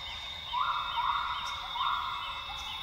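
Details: Northern grey gibbon singing at dawn in Tawau Hills Park rainforest, Sabah, Borneo: two loud bubbly bursts less than two seconds apart, with steady insect trilling and faint chirps underneath.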